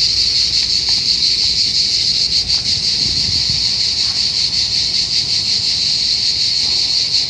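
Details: Cicadas in a loud chorus at a car park just before Montpellier in southern France: a dense, unbroken shrill buzz held steady throughout, with faint pulsing in the drone, light wind and distant traffic underneath.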